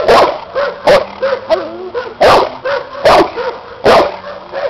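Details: A bandog Cane Corso, seven years old, tested in protection work against a new helper with a hidden sleeve, gives heavy repeated barks about every second, while a man's voice talks between them.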